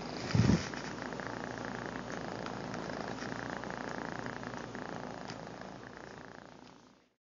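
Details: A house cat purrs into a phone camera: a low, raspy, unbroken rumble that opens with a brief soft thump, holds evenly, then gradually fades out at the end.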